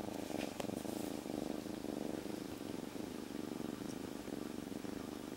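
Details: A kitten rescued from the streets three days earlier purrs loudly and continuously while calmly held in its owner's jacket. The purr is an even, fast-pulsing low rumble with a slight rise and fall in loudness, and brief rustling at the start.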